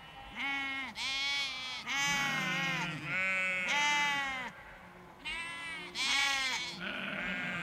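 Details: Field full of sheep with lambs, bleating in a steady chorus: repeated tremulous bleats about every second, higher lamb voices layered over lower, shorter ewe calls, several animals overlapping.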